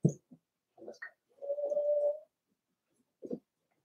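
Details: Cavalier King Charles Spaniel puppies, four weeks old, in Daisy's puppy pen: a few low grunts and squeaks, then a sustained steady whine lasting almost a second, followed by a short grunt.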